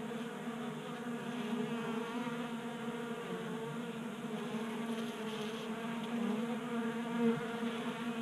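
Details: Honey bees feed at a 3D-printed tray feeder in a Colorado garage during a warm January spell. A dense, even, buzzing hum of many wings continues throughout over faint background hiss, with one brief louder approach near the end.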